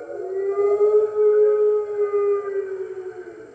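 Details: Early morning chorus of 15 March 2013 at the NY Wolf Conservation Center, where red wolves join the center's other wolves, captured by webcam: one smooth sustained howl, loudest near the middle, then trailing off slowly with faint accompanying voices.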